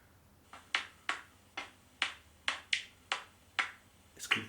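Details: A common noctule, one of the UK's largest bats, heard through a bat detector on a bat-call app library recording: very loud, sharp slapping clicks about every half second.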